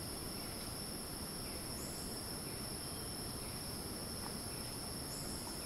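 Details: Rainforest cicada in Ton Pariwat wildlife sanctuary, Phang-Nga, Thailand, giving a continuous shrill, even drone with no pauses, set against dense background forest noise and a couple of faint chirps.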